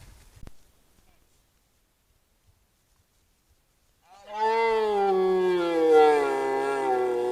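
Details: Red deer stag roaring during the 2025 rut, recorded by a camera trap: after about four seconds of near silence, one long, deep, harmonic roar begins and holds for over three seconds, its pitch sinking slightly.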